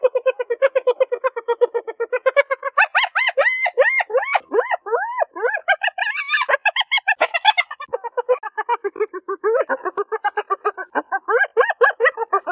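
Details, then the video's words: Spotted hyenas giggle in fast, high, stuttering bursts of notes that rise and fall in pitch. "Sonido de HIENAS RIENDO"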